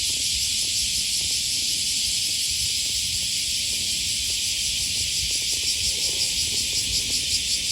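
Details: Cicadas along the Okawa River near Sakuranomiya Park, Osaka, Japan, on an August 2020 morning: a dense, hissing high-pitched drone throughout, with a pulsing throb emerging toward the end, over low rumble and footsteps.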